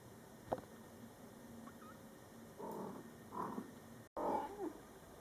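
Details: Mother cat Coco and her Scottish Fold kittens, born July 22, 2012, during their first month: a short sharp tap, then a few low, rough murmured calls and a brief bending mew after a cut.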